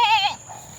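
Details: Domestic goat raised by a family in the Philippines, kept with a large long-eared buck and kids whose mother is outside; a single short, wavering, nasal bleat lasting about a third of a second, then fading into quiet background.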